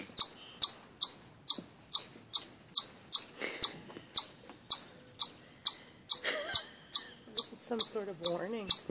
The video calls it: Chipmunk chirps